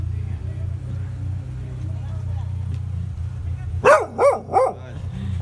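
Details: A strong black male hound at a cafe in Odivelas, Portugal, gives three quick, deep barks in a row over a steady low engine-like hum.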